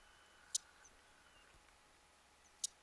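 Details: Tarbagan, the Mongolian marmot, recorded in the Khan Khukhii range of Mongolia on 31 July 2010. Two brief, piercing high-pitched calls about two seconds apart over a quiet background.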